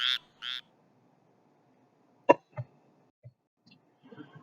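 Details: Squirrel tree frog. Two short, raspy notes from a squirrel tree frog open the recording, each a buzzy, nasal quack much like a duck's. A few faint clicks and soft knocks follow after a pause.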